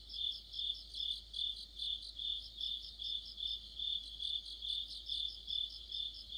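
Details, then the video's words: Autumn insect orchestra of crickets and companions near a streetlight, the high shrill chirps rising and falling in a regular pulse roughly every 0.4 seconds, dense trilling over it. "가을의 한 복판 곤충들의 합창"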